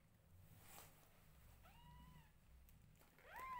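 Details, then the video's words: Tiny newborn kittens, groomed by their mother, let out two thin meows, the first long and level, the second rising sharply at the end, against soft rustling and room noise. "Newborn Adorably Cute Kittens Meowing Loudly When Their Mother Groom Them"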